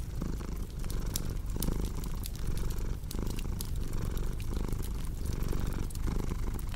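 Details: Pet cat purring in a soft, deep, rhythmic rumble that swells with each breath, while a fireplace crackles and pops in the background.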